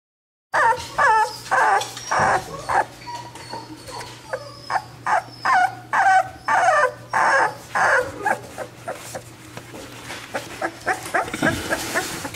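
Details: Several chocolate tri merle male XL American Bully puppies, third-generation merle tri, give short harmonic yelping cries, roughly two per second in a steady run, with brief higher squeals and soft rustling between calls.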